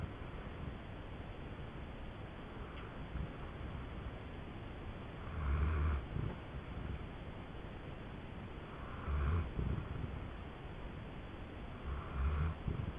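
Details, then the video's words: Indy, a female dog, snoring in her sleep like an old man: low, rough snore bursts about every three to four seconds, at roughly 5.5, 9 and 12 seconds, over a steady hiss of background noise. "Indy sleeping and snoring"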